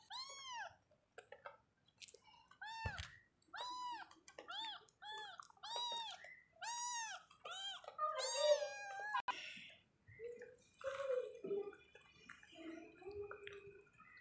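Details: Baby kittens kept as pets meowing indoors: a rapid series of clear, arched, high-pitched meows, roughly two per second for about eight seconds, then softer, scattered, lower mews and rustling.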